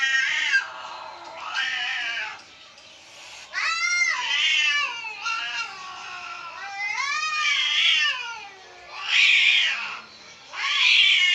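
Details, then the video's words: Outside cats fighting as frightened house cats listen: a series of harsh wavering yowls and caterwauls, pitch sliding up and down, several overlapping cries roughly every two seconds, with constant background hiss. "বাহিরের বিড়ালের ঝগড়ায় ঘরের বিড়ালদের ভয়ের দৃশ্য"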